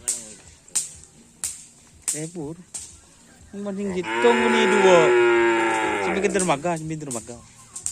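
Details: Cattle at karapan sapi (bull racing) practice on a field in Asemanis, Pamekasan: short clicks and grunts, then one long harmonic moo lasting about two seconds with slight rising inflection, followed by shorter wavering lowing calls.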